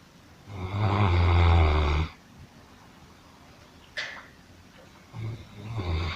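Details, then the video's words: A sleeping dog snoring much like a person: one long, rasping, low snore lasting about a second and a half, then a sharp click and the start of another rumbling breath. "храп собаки"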